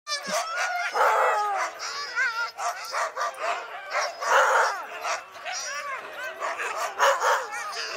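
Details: Two teams of Siberian husky sled dogs, excited to run on a snowy day, give a dense chorus of overlapping high, wavering yelps and yowls, rising and falling in pitch, with loud bursts every second or so.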